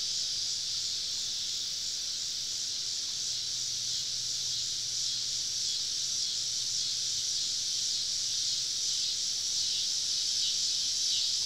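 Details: Cicadas singing together on a southern summer evening in deep woodland, heard from a campsite: an unbroken, hissing high-pitched drone with no clear pulses, holding steady in loudness throughout.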